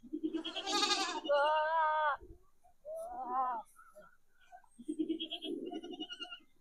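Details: Goats and a kid responding to a goat call played back: a wavering bleat rising into a long steady harmonic cry, then a shorter falling call, with murmuring voices underneath.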